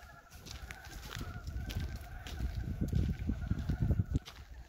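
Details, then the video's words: Frogs calling on a farm on a warm 19 February 2023, the year's first frog calls at spring's arrival: low, rapid clucking pulses repeated about four times a second, overlapping and building in strength, with faint outdoor background noise. "봄이 오는 소리-2023년 첫 개구리 울음소리"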